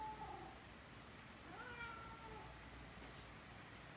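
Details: Talkative female cat, affectionate with a six-month-old Great Dane puppy indoors, giving soft, thin meows at the start and middle of a quiet room recording with steady background hiss.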